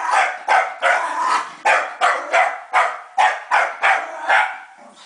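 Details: Elvis, a Scottish Terrier, attacks a vacuum cleaner, letting out loud harsh barks about twice a second in a steady string of nine or so, each bark sharp-edged and fading quickly.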